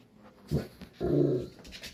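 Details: A dog receiving laser treatment for pain in its hind legs gives two short, low, groaning whimpers. The first is brief and the second is longer and steadier, with faint background sound between them.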